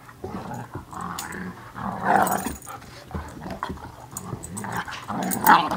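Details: Two domestic dogs wrestling and playing: low rumbling growls rise and fall through the scene, with louder bursts near the second and the end, over scuffling movement sounds.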